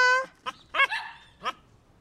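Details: A Cocker Spaniel, as if trying to talk, gives a drawn-out tonal howl, then a few short, wavering yelps.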